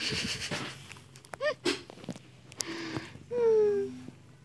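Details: Grown village kitten, still nursing, gives a brief rising-falling chirp early on, then a clear, tonal meow near the end that slides gently downward for about half a second, amid rustling, clicks and soft background noise.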